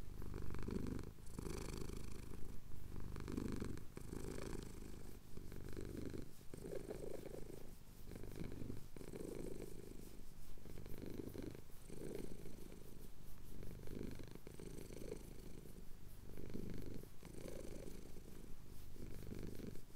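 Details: Pet cat in the Cotswolds purring contentedly while getting a chin scratch at sunrise; low continuous rumble pulsing in regular breaths about once per second, close and quiet, with no other sounds.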